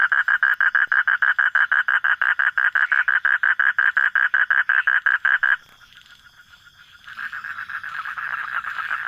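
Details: Frog at night giving loud, evenly spaced croaking pulses about three per second, then a brief near-silent pause before a softer, blurred chorus of calls resumes.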